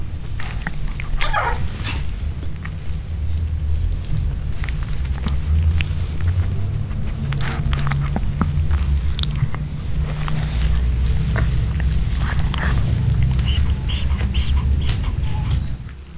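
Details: Pet Pomeranian chewing a home-cooked chicken heart kebab with bell pepper in a small room: steady, loud crunching and smacking bites scattered throughout over a deep continuous rumble, ending with a sudden drop to quiet.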